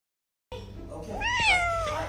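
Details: Pet cat meowing in a small room, a rising then falling whine that swells louder midway, with a brief human voice underneath before it.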